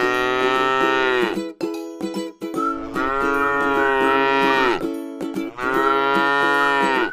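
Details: Three drawn-out moos from a docile cow feeding on grass in a rice paddy, each bellow steady then sagging downward, with gentle plucked music running underneath.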